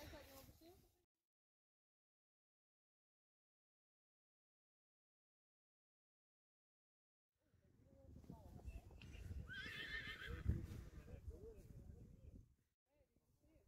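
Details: Friesian horse neighing in a herd of foals now going without their mother; after a long silence comes a wavering, quavering whinny lasting about five seconds, with faint hoof sounds beneath.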